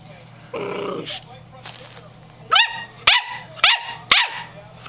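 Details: Eight-week-old German Shorthaired Pointer puppy Stormy, female, barking for the first time: after a human voice, four bright, high yips spaced about half a second apart, each sharply rising then falling.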